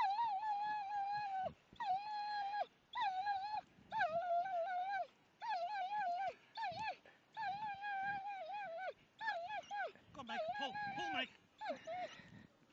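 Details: German Shepherds Ria and Meg romping in snow, Millhouses Park, Sheffield, 2 December 2010; roughly ten insistent whines in quick succession, mostly level with wobbling ends, growing choppier and more broken toward the close.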